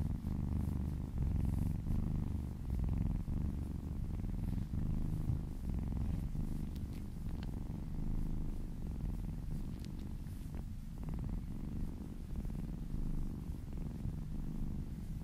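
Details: Kitten purring during a gentle massage, a sustained low throbbing rumble that pulses with its breathing throughout, occasional faint rubbing and tapping sounds over the top.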